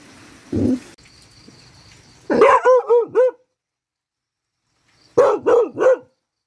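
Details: Dog practising barking during rain: after a short low sound, a run of about five sharp, harmonic barks, then silence, then three more quick barks in a row.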